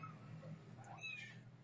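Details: Setty the cat gives a short, thin meow that rises and falls, partly masked by a steady low hum and a person talking in Filipino nearby.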